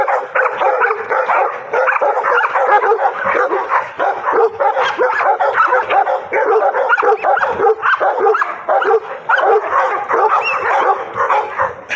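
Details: A high-drive pocket American Bully worked on a bite sleeve barks almost nonstop, loud clipped barks tumbling over one another with occasional whiny yips, sustained for the whole stretch, with faint people's voices mixed in.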